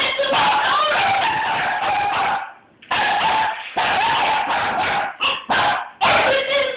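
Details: Border Collies bark and whine frantically in harsh, overlapping bursts, agitated and mad at a car.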